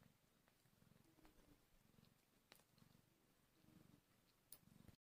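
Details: Hungry kittens one hour after birth purr in a low, steady, rhythmic rumble, with a couple of faint clicks.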